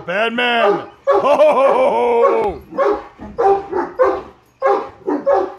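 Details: Halloween mask sets off a Great Dane outburst from three male dogs: long, drawn-out howling whines at first, then a run of short, gruff barks in quick pairs.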